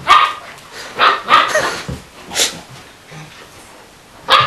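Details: Play between a Springer Spaniel puppy, Splodge, and the Borzoi Aramis; short barks in quick succession, a pause with quiet scuffling, then one last bark.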